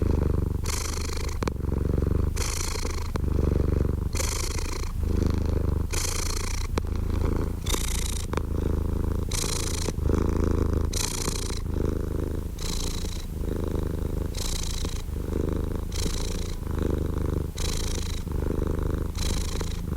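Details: Cat purring steadily, a deep low rumble alternating with breathier phases roughly once a second, about eighteen breath cycles, close and even, with no other sounds.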